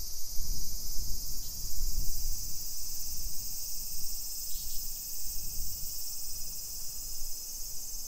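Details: Cicadas sing through a July 2021 summer afternoon in a Nisshin hillside residential area near Nagoya, Japan: an unbroken shrill hiss, two brief faint chirps partway through, and low thudding footsteps.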